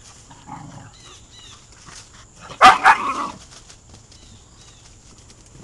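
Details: Two dogs, a 4-month-old Weimaraner puppy and a 3-year-old Rottweiler/Chow mix, playing together in the house; a quiet stretch of faint shuffling, then two sharp loud barks in quick succession midway before things settle again.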